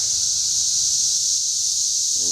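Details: Cicadas calling at Schroeder Park in Ballwin, Missouri: a dense, steady hissing drone held at a constant high pitch throughout, with a brief low voice entering at the very end.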